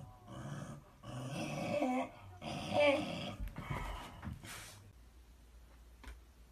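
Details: Two Shiba Inu dogs squabbling over a touching paw: low, rough grumbling growls in uneven bursts with breathy whines, fading to quiet near the end.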